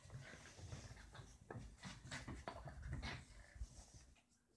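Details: Roxie, a deer-head chihuahua, tries to get Reese, a Dorkie, to play indoors; snorting, panting and short grunting bursts come in quick uneven clusters with scuffling between them.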